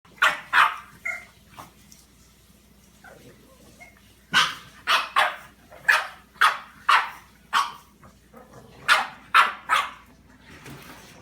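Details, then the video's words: Chili the dog facing off against Peeps the cat; sharp, high barks come in quick pairs and clusters, with short quiet gaps between bursts and a faint steady hum behind. "Chili Dog versus cat"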